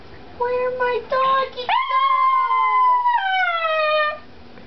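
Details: Pet Chihuahua howling inside a small room: short stepped yelps give way to a long sustained wail that rises, holds and falls, followed by a second drawn-out cry, over a faint low hum.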